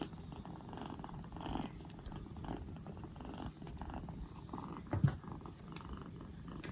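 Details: Black Bombay kitten, two months old, rescued four days earlier and recovering from a cold with its cough gone, purring steadily: a low, continuous rumbling pulse with faint handling noises and a brief louder bump near the end.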